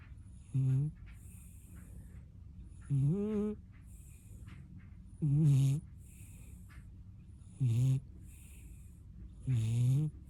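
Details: Dozing puppy with a talent for snoring: five strong, low, rattling snores at a steady pace of about one every two and a half seconds, some drawn out with a wavering rise.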